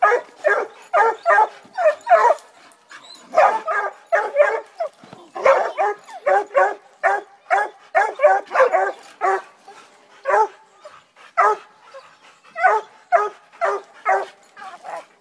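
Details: Young female Redbone Coonhound, eight months old and in training, reacting to the first raccoon she has ever seen: rapid, continuous excited barking and yelping, several barks per second with brief pauses.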